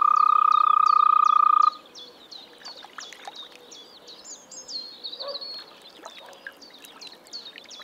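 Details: Spring frog call from a Czech pond or wetland: a loud, rapidly pulsed even trill lasting under two seconds, then fading out while high, repeated bird chirps and twitters carry on in the background.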